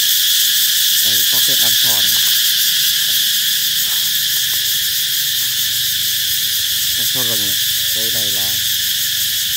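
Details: Cicadas calling to announce approaching summer, a dense high buzzing wall of sound, with brief harmonic voice-like bursts near the first and seventh seconds underneath.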